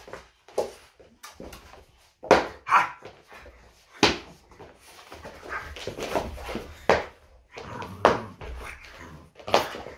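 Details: French Bulldog Loki indoors on a typical morning, giving short, rough bark-like grunts and snorts at irregular intervals of about one to two seconds, with faint rustling in a small room between bursts.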